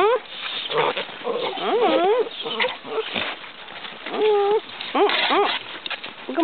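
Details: Basset Hound puppies, curious and eager as visitors arrive at their pen, give tonal whimpers and yelps that rise and fall in short bursts, while a woman chatters to them in a high, soothing voice throughout.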